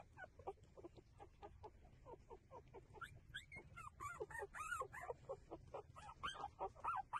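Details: Nursing puppies whine and squeal, starting with short low whimpers and rising into a dense chorus of loud, arching squeals from several pups over the last few seconds.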